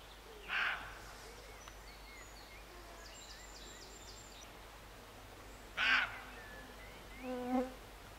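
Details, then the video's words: Roe deer barking near Morpeth, Northumberland, in August 2012; two loud, rasping barks about five seconds apart, with thin chirps and whistles from small birds scattered between them. "Roe Deer Barking"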